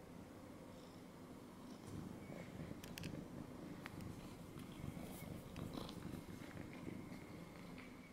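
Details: A domestic cat that has jumped onto a person's lap purrs softly. The low, steady rumble continues throughout, with faint rustling clicks over it.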